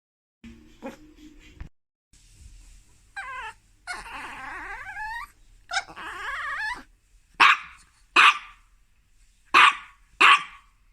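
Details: A Chihuahua that cannot resist going on the bed whines and grumbles in a high, wavering voice, then gives four sharp, yappy barks.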